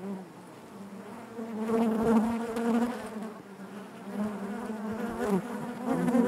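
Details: Honey bee hive interior, a thick continuous buzzing of many bees, low-pitched with layered overtones, growing louder in the middle as bees move nearby, with wavering pitch glides toward the end.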